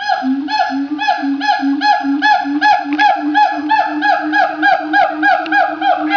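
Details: Siamangs at Opole Zoo, Poland, in a loud, chatty bout. Steady run of bright, ringing hoots repeated about three times per second, each note sharply attacked and harmonically rich, with overlapping voices.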